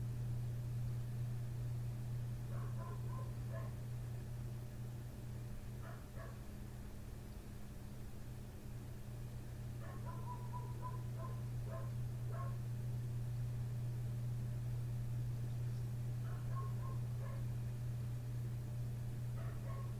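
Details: Next-door neighbour's dog outside a window at night, barking nonstop from 1:30 am until past 3 am; distant, muffled barks come in short clusters of three to five, spaced a few seconds apart, over a loud steady low hum.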